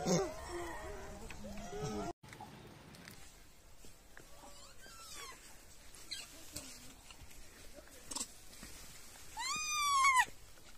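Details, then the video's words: Wild baby macaque crying loudly after being bullied by its mother: wavering, harmonic wails fill the first two seconds, then a quieter stretch with faint scattered calls, ending in a sharp, loud, arching scream near the close. "The baby monkey was bullied by the mother monkey and cried loudly"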